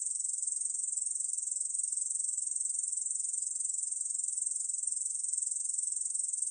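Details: Song of the Ussuri bush cricket (중베짱이), recorded in 2020: a sustained, shrill, rapidly pulsing buzz, even in pitch and loudness throughout, heard clean without other sounds.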